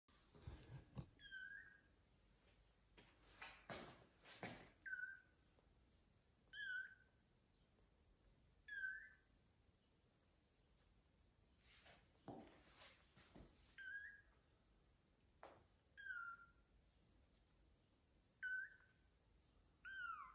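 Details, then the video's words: Blind kitten meowing as it tries to reach its mother cat so she will feed it; short, high, repeated meows about every two seconds, each bending downward, in a quiet indoor room with a few soft bumps. "Meowing blind kitten tries to get to mom cat so that she feeds him"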